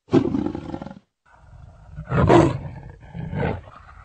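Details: Leopard voicing a short hoarse grunt, then after a brief pause a rising series of rasping, sawing roars, loudest in the middle and tapering into a softer final burst.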